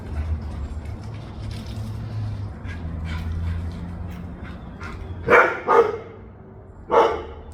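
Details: A low rumbling engine-like hum fills the first five seconds, then Mishka, a dog eager to go outside, lets out three sharp barks, two close together and one after a short pause.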